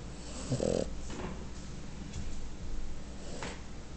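A French Bulldog snores with low, rattling, throaty breaths that repeat irregularly.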